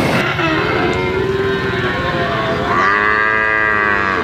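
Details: Brahman and Limousin calves: one long wavering low moo that fades, then a higher, brighter drawn-out moo rising in pitch, against steady background noise.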